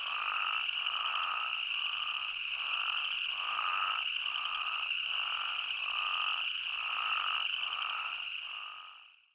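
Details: Massed spadefoot toad calls in Arizona: steady shrill humming band with lower buzzy pulses beating roughly three to four times a second, tapering away at the close.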